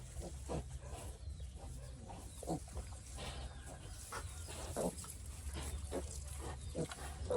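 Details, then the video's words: Piglet that has been sick since it was little, making repeated brief low grunts and snuffles every second or so, with a constant low background rumble. "Poor piglet has been sick since little"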